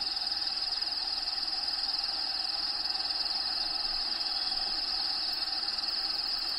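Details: Crickets chirping inside a bearded dragon vivarium shared with Diego, a bearded dragon. A continuous shrill, high-pitched trill with a fine pulsing texture holds steady throughout, over faint low-level background hiss.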